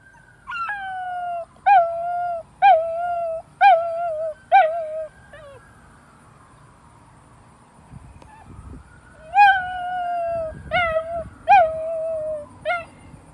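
A mastiff puppy gives short, wavering howls about once a second over a faint wailing siren.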